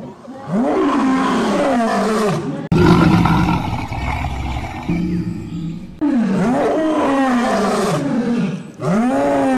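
A lion gives deep, rasping roars, each swelling upward and then sagging in a long throaty arc. The roars come in separate bursts with sudden cuts between them, and a rougher, rumbling passage sits in the middle.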